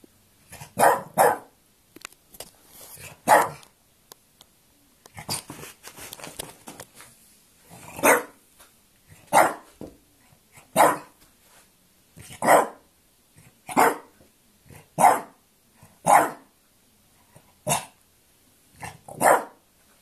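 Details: A French Bulldog barking while quarrelling, indoors: sharp, loud single barks about every one to two seconds, roughly a dozen in all, with quieter huffs and snorts between them.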